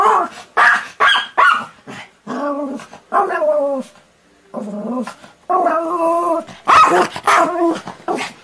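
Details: A Pomeranian (German Spitz) gives sharp, high-pitched yapping barks, then longer whining, tonal yelps.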